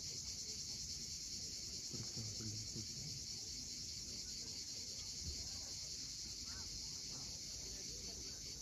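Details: Cicadas calling at sunset on the steep coast near Cape Fiolent, Crimea: a steady, unbroken high buzzing drone fills the whole clip, with low murmuring sounds underneath.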